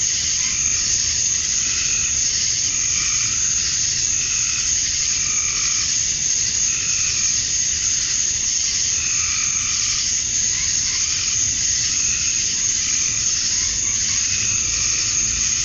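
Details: Summer-dusk chorus of male cicadas in Georgia, USA, calling to attract females; a constant shrill buzz carries throughout while mid-pitched trilling swells pulse roughly every one to two seconds beneath it.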